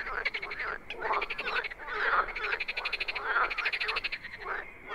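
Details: A dense chorus of wild frogs: overlapping raspy, pulsed croaks rising and falling in waves with hardly any pause between callers.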